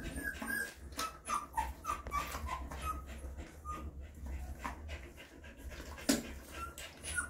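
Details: Mother dog cleaning and feeding her puppies: thin, high squeaking whimpers, several short notes each second, over a steady low hum and soft wet licking noises.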